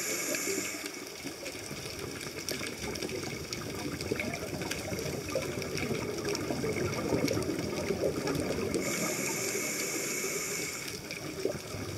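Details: Only rushing, gushing water with steady broadband noise is heard, and no animal voice stands out. Faint tonal bands sit over the water noise throughout.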